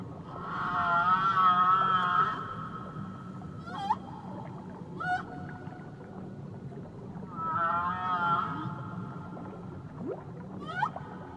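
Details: Whale off Tahiti giving two matching bursts of wavering, harmonic-rich cries about six seconds apart, separated by short sharp sweeping chirps, all above a continuous low ocean rumble.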